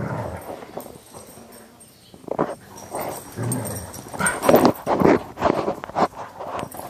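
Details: Two terriers, an Airedale and a Welsh terrier named Jack and Charlie, wrestling playfully without getting serious; rough snarling growls and huffing barks in irregular bursts, louder toward the end, with scuffling and thumps.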